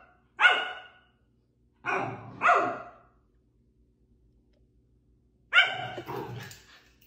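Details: Sapphie, a pet Pomsky, play-fighting indoors: three bursts of sharp, harmonic barks and yips, one single, then a quick pair, then a final rough double bark after a pause, with a growly edge, in a quiet room.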